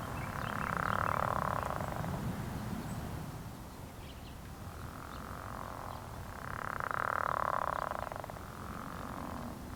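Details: Pickerel frogs at a pond in early spring give low, rasping snores like a creaking door or a growl, each lasting one to two seconds, in overlapping bouts over a steady low background rumble.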